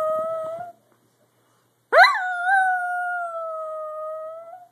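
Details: Daphne the Dachshund howls indoors: the tail of one steady wail, a brief silence, then a new howl that starts with a sharp rising onset and settles into a long, level, slightly wavering tone.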